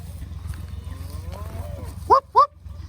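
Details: Cattle on a drive in Northern Colorado, having ducked into a creek to drink; faint wavering lowing early on, then two short, loud, rising bawls in quick succession near the end over a low background hum.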